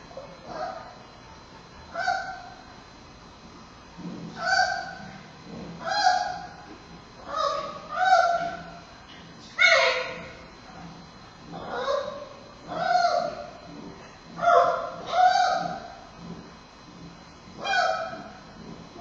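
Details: Bei Bei, a male giant panda cub at Smithsonian's National Zoo, nursing from mother Mei Xiang on a Friday afternoon, 9 October 2015, fussing as her heavy breathing makes latching hard; harmonic, wavering squawks repeat about every one to two seconds.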